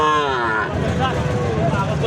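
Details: Gir and Sahiwal bull calves at Ambari livestock market: a drawn-out moo with falling harmonics in the opening second, then men talking over steady crowd murmur.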